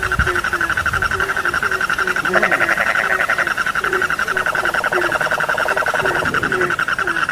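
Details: Frog chorus with softer, rapid short croaks about several per second beneath a loud, pulsing high trill that swells in the middle, plus a few low knocks at the start.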